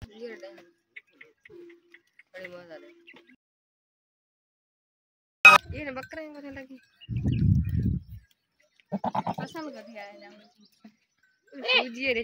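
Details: Village goats in rural Pakistan climbing sand dunes in the morning after a night of rain; short tremulous bleats in scattered bursts, a sharp click, a low rumbling patch and quiet gaps between calls.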